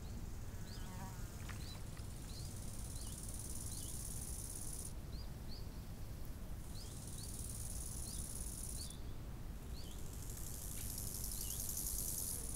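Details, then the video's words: Crickets by a summer lake keep up a high, thin, sustained trill that pauses briefly at about five and nine seconds. Short, falling bird chirps repeat in the foreground, with a deep, constant wind rumble. "Odgłosy nad jeziorem - świerszcze"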